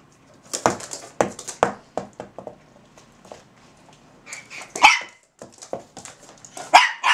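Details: Russian Toy Zora and Belgian Malinois Bazooka in conversation at their kennel; a burst of short snappy barks opens, a quieter pause follows, then higher piercing yelps and whiny barks trade back and forth.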